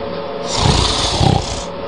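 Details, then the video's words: Sleeping cat snoring: two loud, rasping breaths about half a second apart, each a rough low rumble with a hissy, airy upper layer, over a steady humming background. "Snoring Cat"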